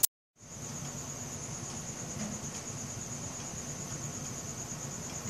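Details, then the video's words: Crickets calling at night, filmed on a Samsung Galaxy S4; after a brief click and a moment of silence, a continuous high thin chirping starts and holds steady over a rumbling low background. "CRICKET SOUNDS | RELAXING SOUNDS OF NATURE AT NIGHT"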